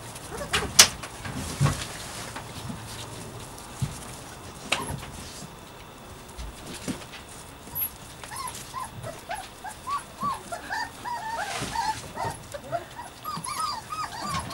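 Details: Puppies Savannah and Jericho at play; a scatter of clicks and thumps early on gives way to soft, high whimpering yips in quick uneven bursts during the second half.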